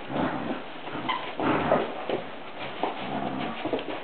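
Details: Brown standard poodles Coco and Skye playing with a toy monkey give soft whimpering and low grumbling sounds, with a thin squeak in the middle, over continuous shuffling play noise.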